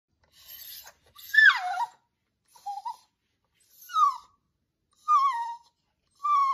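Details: Tantissimo, a 4-year-old Cavalier King Charles Spaniel, sounds like a little bird while waiting for dinner: a soft breathy note, then a series of high, thin, falling whines, each under a second, repeated roughly once a second in an otherwise quiet room.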